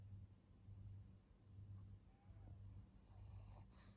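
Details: A fourteen-year-old fawn female pug in Japan, a senior dog, breathing with a low, rumbling snore in a steady rhythm of about one breath per second, with faint household noise near the end.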